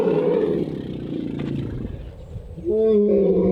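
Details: At an elephant sanctuary in a Thai valley, Asian elephants give a loud, rough, lion-like roar for over two seconds, then a brief pause and a steady, brassy, tonal blare; the guide said they were very happy and very angry about something.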